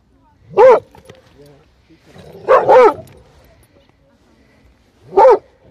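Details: Airedale Terrier at a kennel in Vienna, Austria, playing football in a pond, gives loud harmonic-rich barks: one single bark, then a quick double bark about two seconds later, then another single bark, with quiet pauses between.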